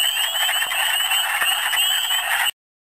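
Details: Short burst of a Michigan spring wood frog chorus with many callers. Dense clucking croaks and high rising peeps run together, then cut to silence after about two and a half seconds.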